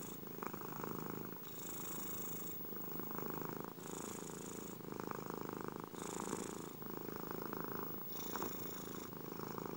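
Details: Steady rumbling purr of a domestic cat heard up close, with raspier bursts recurring roughly every two seconds as breathing switches direction.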